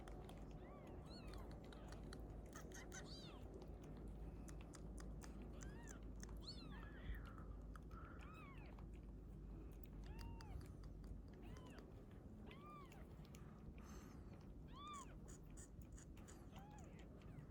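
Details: Mother cat with her newborn kitten, found outdoors and later taken in: a long series of short, arched, high meows repeated every one to two seconds over steady low rumbling noise.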